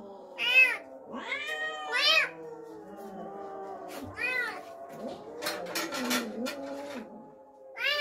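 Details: Pet cat responding to a strange kitten brought home, uttering short wavering meows and drawn yowls in bursts, about one every second and a half at first, over a steady low background hum with a noisy scuffle later.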